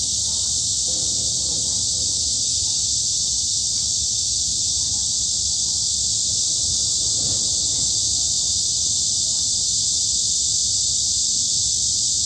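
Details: Forest cicadas in high summer at Daejeon's Hanbat Arboretum, South Korea: a constant piercing hiss-like buzz, with a few faint soft knocks and rustles beneath it.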